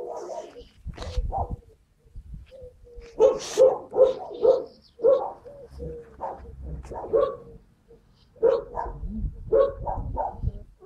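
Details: Skye Terrier puppies recorded on 5 June 2016, rapid clusters of shrill yapping barks and squeaks, several close together, with brief quiet gaps and faint thumps of movement.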